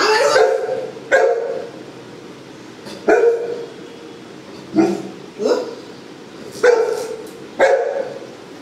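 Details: Female Golden Retriever at home, rolling around and begging for carrots, gives six short, sharp barks spaced one to two seconds apart with a steady low hum between them.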